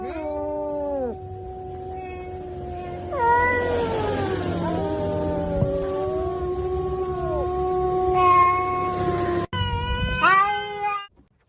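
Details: Cat making prolonged yowling cries, a brief meow then a long sustained wavering wail lasting several seconds, ending in another meow, with some rustling beneath.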